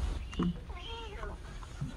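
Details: Orphaned kitten that lost its mother, spending its first night after being taken in and having crusted eye discharge cleaned, gives a single arching meow of about half a second, rising then falling, amid handling noises.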